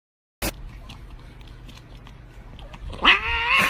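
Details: A cat gives a single short, rising yowl rich in harmonics near the end, after a stretch of quiet room noise.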